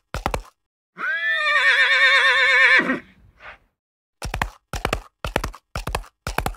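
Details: Horse whinny over prairie ambience: a long wavering neigh lasting about two seconds, tapering into a brief snort, framed by quick bursts of clip-clop hoofbeats before and after.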